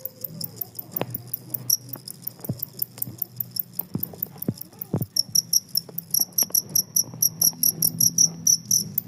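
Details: Jangkrik kalung, the two-spotted cricket, chirping on through surrounding commotion: sharp, high-pitched pulsed chirps that start sparse and grow into a fast regular train, while scattered low clicks, taps and hum sound beneath.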